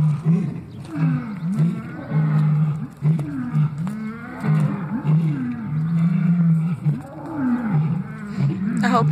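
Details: Lions heard on waking in the morning, calling in a series of deep, short grunts repeated roughly once a second, each with a brief rising-falling moan; a steady low rumble sits underneath.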